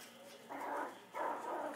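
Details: Maltese puppies, nine weeks old, playing: two mid-pitched, whiny bark-like yelps, the first about half a second long and the second slightly longer, each with clear harmonic bands, over a quiet indoor background.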